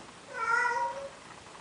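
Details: Male cat in Athens, Greece, courting a female Siamese cat: a single short, soft meow rising then falling, over faint background hiss.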